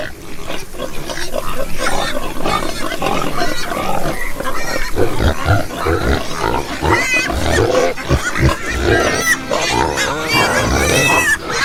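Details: Dense chorus of pigs: deep, steady grunting underneath and frequent wavering squeals rising and falling above it, many animals calling together without pause for nearly twelve seconds.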